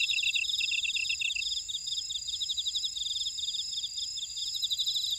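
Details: Chorus of field insects in a Jeju buckwheat field, Ora-dong: one lower pulsed chirper stops after about a second and a half while higher rapid trills carry on over a steady high-pitched buzz.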